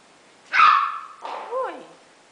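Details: Golden Retriever puppies, six littermates at play on 15/08/2011: a loud high bark followed by a wavering whining yelp that slides down in pitch, with a woman's voice talking around it.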